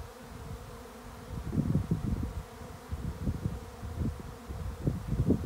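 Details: Swarm of bees on a regenerative farm in County Kilkenny, Ireland: a dense, low droning hum that swells and fades in irregular surges, growing louder through the second half.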